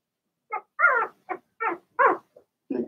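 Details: Young Blenheim Cavalier King Charles Spaniel puppies from one litter of six, barking in their puppy pen: five short high-pitched yaps about a third of a second apart, some slightly drawn out and whiny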